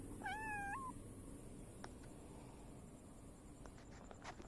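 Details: Silver tabby cat meowing and rubbing against a visitor returning after four days; one clear, wavering meow near the start, then quiet background with faint clicks and taps.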